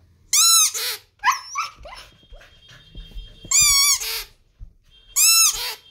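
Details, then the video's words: Siberian husky howling and 'singing': three loud, richly harmonic arched howls, each about half a second, separated by shorter yelping and whining notes; quiet room background. "HUSKY HOWLING SINGING"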